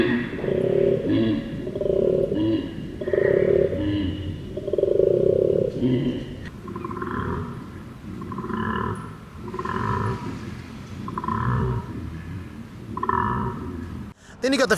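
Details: A male koala, one of Australia's iconic animals, bellows in harsh, rasping grunts, pulsed in quick rhythmic bursts like a deep snore; described as a uniquely sharp, bellowed grunting; Koala.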